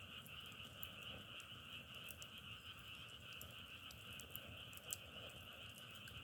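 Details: A continuous frog chorus forms a smooth, humming wall of trills at two pitch levels. Scattered snapping clicks like crackling firewood run through it, with a soft low rumble underneath.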